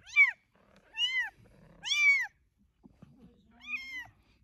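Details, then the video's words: Kittens mewing: four high, arched calls spaced irregularly, the last softer and longer, with faint low rustling and a quiet drawn-out sound between calls. "Kittens Making Different Sounds"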